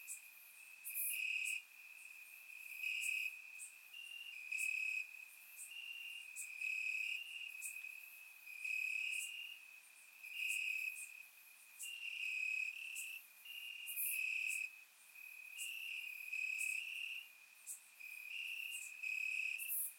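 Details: Summer night crickets chirping in grass in Bulgaria, captured with a surround microphone: a ringing high trill throughout, louder pulsed phrases returning about every one to two seconds, many callers overlapping.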